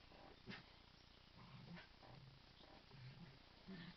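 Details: Dog named Rosie growling while playing "kill the duvet" with Chilli Bob indoors, low rumbling growls in short bursts about every second, with brief sharper grunts near the start and end.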